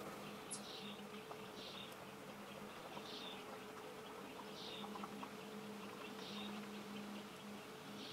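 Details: Leafcutter bee, one of a few building nest chambers in old holes in a brick wall, gives a low, intermittent hum that comes and goes in stretches of about a second. Faint high chirping notes repeat in the background over a steady hiss.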